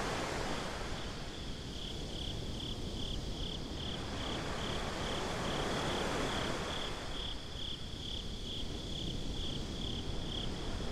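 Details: A binaural night recording of crickets on a beach: high, rhythmic chirps pulse steadily and quicken in places, layered over surging ocean surf that builds and recedes.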